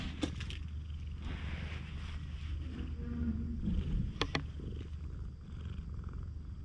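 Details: Stray cat on a cat island, nuzzling up affectionately, recorded on a GoPro HERO8. Continuous deep purring hums underneath, with brief sharp clicks and handling noises scattered over it.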